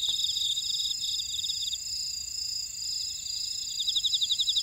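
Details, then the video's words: Insects calling in Ora-dong's buckwheat field, Jeju Island, South Korea: shrill pulsed trills starting and stopping in bursts, a quieter steady high whine between, louder rhythmic chirping returning near the end. "제주 메밀밭의 풀벌레 소리 (Sound of a buckwheat field)"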